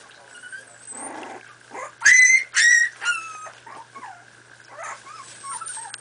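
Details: Four-and-a-half-week-old Miniature Pinscher puppies at play, with a couple of loud piercing yips, a descending whine, then quieter squeaky whimpers and a thin high whistle-like cry, all over a steady hum.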